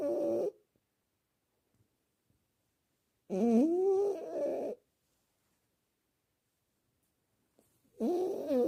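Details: Domestic cat snoring while asleep, with rhythmic breaths spaced roughly four seconds apart. Each breath is a rich, harmonic buzzing tone rising and falling in pitch for about a second, with near silence between breaths.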